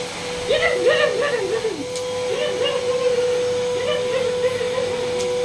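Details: Leo, a male working-line German Shepherd, vocalizes indoors at a vacuum cleaner with wavering, warbling whine-howls in three bursts, backed by a constant motor drone.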